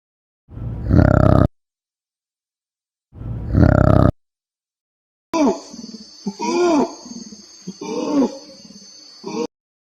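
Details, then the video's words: Orangutan vocalising: two loud, rough, one-second roaring blasts, followed by a run of arching harmonic hoots that rise and fall over a persistent high-pitched whine. "orangutan sounds, animal sounds, orangutan sound effect how does an orangutan sounds"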